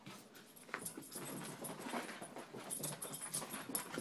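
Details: Close, dense panting from a dog, either a 10-month-old puppy or a 12-year-old chihuahua kept together, with harsh, airy breaths running almost without pause for four seconds.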